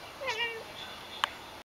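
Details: House cat answering a woman's French calls to come indoors; one short, bright meow bending downward, then a sharp click and steady faint background hiss.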